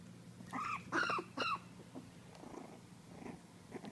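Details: Four-week-old Miniature Pinscher pups in a litter, chasing the camera, let out three shrill, squealing whimpers, each sliding slightly downward, then fainter scattered squeaks over a steady low hum.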